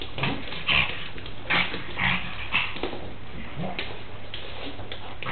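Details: Pug at play fighting a horse doll, giving short, high yips and whimpering bursts roughly twice a second, with brief low grunts in between and faint background voices.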